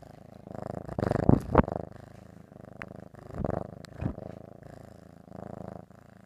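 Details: Ricky, a pet cat, purring while eating ham indoors: a low, steady rumbling purr with pulsing bands, broken by several louder, rougher bursts near the start and middle.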